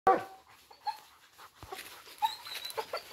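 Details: Dogs flushing out a wild boar give short, sharp barks and yelps in brief scattered bursts.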